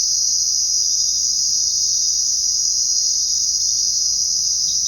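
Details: Night chorus of crickets, many insects trilling together in one continuous shrill band that never pauses or changes in loudness, with no other clear sounds.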